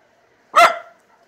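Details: Jake, a male Miniature Schnauzer acting fierce in the yard, gives one sudden, loud, harsh bark with a short fading tail, then falls silent.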